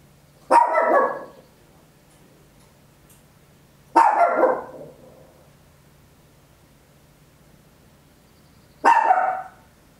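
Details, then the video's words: Tiny Papillon dog barking loudly at home, recorded in stereo with an Olympus LS-11: three separate sharp barks about three to five seconds apart, each short and bright, over a faint low steady hum. "Tiny Dog Barking Very Loud, Papillon"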